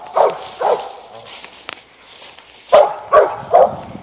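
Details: Eight-month-old Mountain Cur pup barking at a treed animal; two barks, a pause with a faint click, then three more quick barks in an open outdoor setting.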